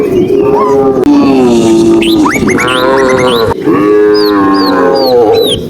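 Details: Herded tame cows on a sunny rural afternoon give long, steady, wavering moos while small birds chirp in quick, high, rising notes overhead.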